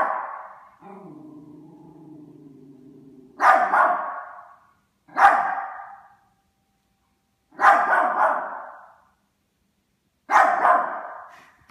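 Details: Pet Yorkshire Terrier facing off with a Christmas stocking: a sustained low growl lasting over two seconds, followed by four loud, harsh barks spaced roughly two seconds apart.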